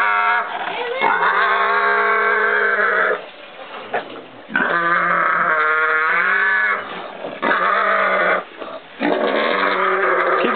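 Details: Pot-bellied pig, one of several kept together, singing away: long, sustained, strongly harmonic droning tones held for two to three seconds each, broken by brief pauses, repeated three times in a row.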